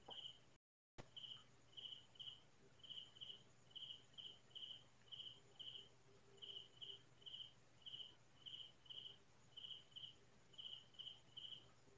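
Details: Crickets calling at night in farm fields in the Philippines, a quiet rural setting: high, clear double chirps repeated steadily, roughly one pair per second, with a faint low hum underneath and a brief dropout near the start.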